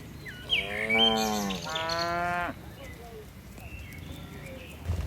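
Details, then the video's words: Tame cattle, dozens in a herd leaping down a mountain slope hillside, giving two harmonic moos around one second long each, the second slightly higher, followed by quieter chirping birds in the background. "Suara lucu sapi moo"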